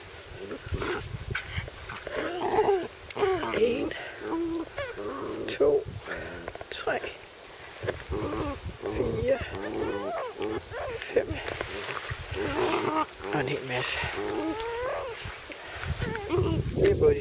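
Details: Playful Cairn Terrier puppies, six and seven weeks old from Lida's and Holly's litters, romping outdoors in a field in sunshine; many short squeaky yips and wavering whines across the clip, with wind and low background noise.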